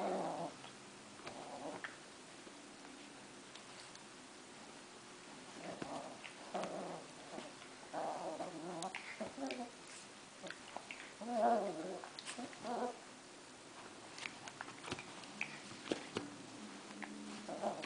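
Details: A female Italian greyhound puppy of nearly 3 months (3.6 lbs) gives bursts of high, whiny play growls while roughhousing with a gentle 2½-year-old Chinese crested.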